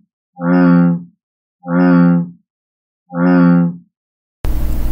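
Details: An American bullfrog in Tennessee gives three deep, droning, resonant notes, each about a second long, in its mating call.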